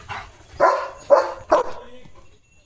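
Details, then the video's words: Leo, a German Shepherd, barking during an excited run after spotting another dog; three loud, mid-pitched barks about half a second apart, with faint speech before them. "दुसरा Dog दिसला की कसला खतरनाक पळतोय Leo The German Shepherd"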